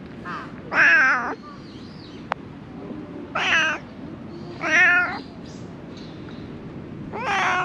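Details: Stray cat struggling to survive among dumped rubbish, giving four loud, strained meows spaced roughly every one to two seconds, each wavering and harmonic, over a low steady background hum.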